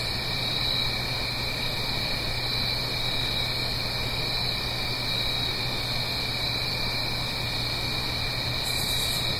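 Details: Crickets sing through an autumn night in the Blue Ridge Mountains by a gentle stream, a dense unbroken shrill trill with a regularly pulsing higher note, ending with a brief very high buzz over flowing-water hiss.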